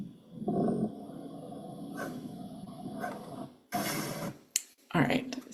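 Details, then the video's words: A male koala gives a deep, rumbling bellow of snoring pulses, a call that attracts female koalas. "All right. So, that is just such a crazy sound to me, but the lady koalas love it."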